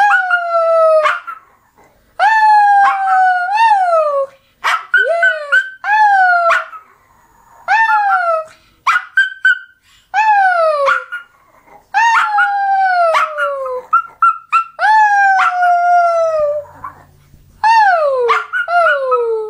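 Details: Pet dog named Toby making a sound its owner calls one of the most annoying ever: loud, repeated whining howls, each a bright falling tone with many overtones, coming in quick bursts with short pauses across the whole stretch.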